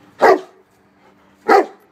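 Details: Tosa Inu dog named Szogun playing ball: two loud, short, broad barks about 1.3 seconds apart, with a faint steady low hum behind them.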